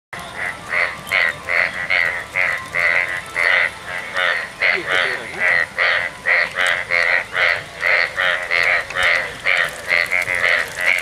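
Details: A frog in a roadside ditch in Gaibandha, during the monsoon after heavy rain at first light, gives a rapid run of short, nasal, rasping croaks, about two or three per second, over faint background hiss.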